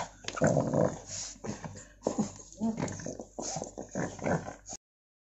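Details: Pug crying because he wants his toy back: a series of short, strained whimpering and grumbling vocal bursts, about four or five in five seconds, with brief pauses between and a soft room background.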